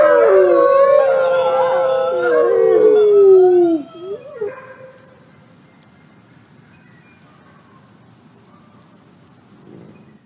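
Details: Grey wolves giving a whining howl: several overlapping voices sliding slowly downward for about four seconds, then broken short yelps fading into quiet background.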